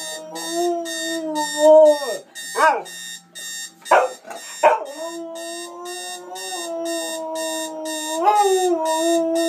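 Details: Pet dog reacting to an alarm clock it hates, giving long wavering howl-like tones that rise and fall, then short sharp yelps, before howling again over steady rhythmic electronic alarm beeps.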